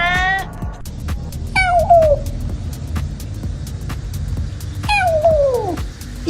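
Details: Domestic cat from a funny compilation giving three loud meows: a short one at the start, then two longer drawn-out cries that slide downward in pitch, the last one longest, over low background music and a little speech.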